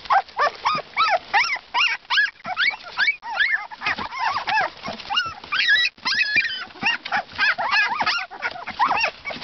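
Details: Siberian Husky pups two weeks old, several together, keep up a dense chorus of high, wavering whines and squeals, many rising and falling quickly and overlapping, with brief pauses between bursts and no other clear sounds.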